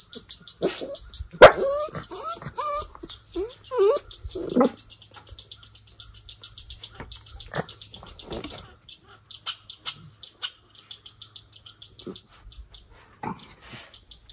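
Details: Levi, a Miniature Schnauzer, one of two brothers, outdoors in Aroostook County, Maine, on Aug 28, 2022, taunting the squirrel Rusty in a tree; sharp yelping barks and whines early on over a steady high insect buzz, with music.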